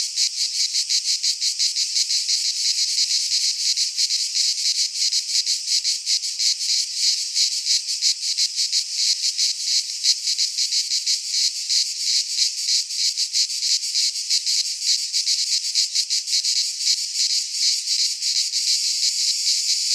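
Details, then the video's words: Cicadas singing in midsummer in a Greek pine forest: a dense, continuous buzzing chorus with rapid pulsing, steady loudness throughout, and no other clear sounds. "Cicadas singing in midsummer - Nature sounds from the Greek fauna - Sounds of cicadas"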